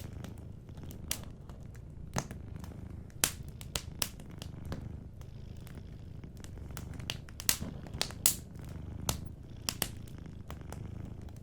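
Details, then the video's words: Cat asleep beside a fireplace, purring gently; a constant low throbbing purr forms the bed while crisp crackling pops from the burning fire break in every second or so. "Warm Fireplace Ambience with a Sleeping Cat 🐱💤Fireplace & Soft Purring"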